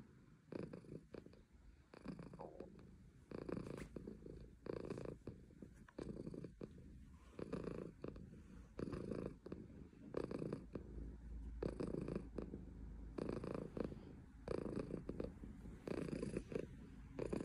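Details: A female silver tabby Maine Coon purrs steadily, a low rumbling hum that swells and fades with each breath.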